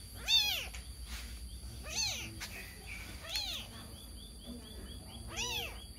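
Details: A kitten crying for its missing mother gives four short, high-pitched meows at uneven intervals, separated by quiet gaps with low background hum.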